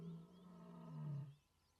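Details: A roughly 4-year-old lioness, on a termite mound in good condition, gives a contact call after picking up the scent of others: a single deep, drawn-out moaning call of about a second and a half, low, steady and fading.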